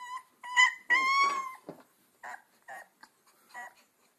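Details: Two-week-old Alaskan Malamute puppies on their first walks, indoors: high, thin whimpering whines with bright overtones, a long drawn-out whine rising slightly, then several short broken yelps separated by brief pauses.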